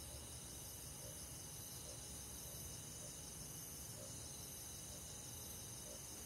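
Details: A night-time summer chorus of crickets and forest insects, several high continuous trills pulsing steadily together, with gentle lower notes sounding at irregular intervals below.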